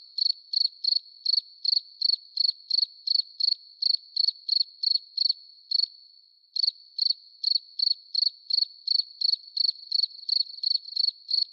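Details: Cricket at night, tied to catching crickets with a light bulb: steady high, thin pulsed chirps, roughly three a second, with one brief pause midway before the even rhythm resumes.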